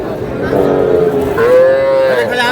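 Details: Calf from a group of small bull and heifer calves bought by a farmer in Dhaka, Bangladesh, on 21 February: a drawn-out moo that starts low, then rises and holds steady, with men talking in the background.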